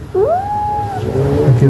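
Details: A mother cat named Nancy, easily annoyed with her kittens, gives a clear meow that swoops upward and holds a steady tone, then fades into softer murmuring sounds.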